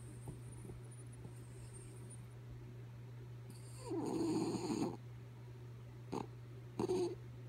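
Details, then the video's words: Dog called Kaya Boo sleeping: one drawn-out raspy snore of about a second, then two brief snorting breaths, against a quiet room with a steady low hum. "Sleepy Kaya Boo Snoring"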